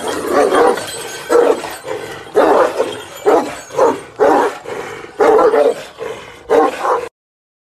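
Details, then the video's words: Very angry Kangal shepherd dog barking: deep, harsh barks in short bursts, single and doubled, repeating roughly every second, loud and close, ending abruptly. "Aşırı sinirli kangal"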